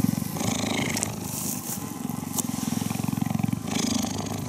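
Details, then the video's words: Cheetah purring while being cuddled: a continuous low, buzzing, finely pulsed rumble that swells and eases with each breath, with light rustling above it. "Cheetah Cuddling & Purring"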